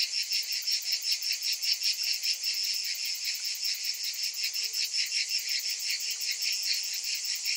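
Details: Cicadas calling in summer: a dense, high, hissing buzz that swells and fades in steady pulses, nearly three per second, with no other sounds.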